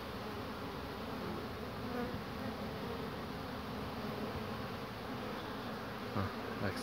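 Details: Honey bees around old wooden hives on 22 March 2019, workers returning with pollen loads on their legs; a steady, dense low hum of many wings with brief soft knocks near the end.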